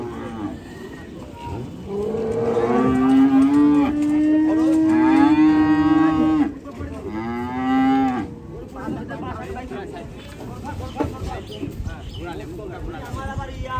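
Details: Cattle being unloaded in the morning at a livestock market, lowing loudly: long sustained moos with rich harmonics, one drawn out over about four seconds followed by shorter ones, with people talking nearby.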